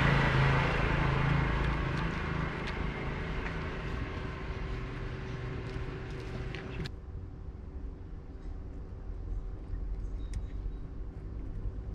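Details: Street traffic rumbles loudly, then cuts to a quieter scene with a low hum and a few light knocks.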